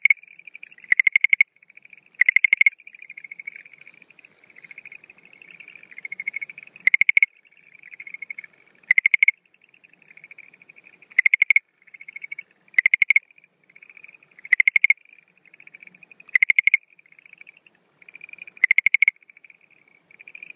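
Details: Night calling of Schlegel's green tree frog in breeding season, April 2013; a continuous faint ticking trill punctuated by loud rattling bursts of several pulses, about ten bursts spaced two seconds apart.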